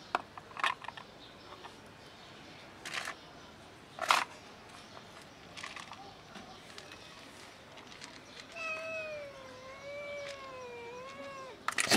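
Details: Mother cat defending her kittens, giving a long wavering meow late on with clear harmonics, after scattered knocks and clicks from handling; a short sharp sound at the very end.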